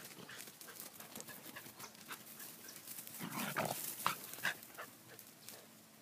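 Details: Grubby collie puppies snuffling and panting softly, with two brief, high, squeaky whimpers a moment apart near the middle, amid light rustling and patter.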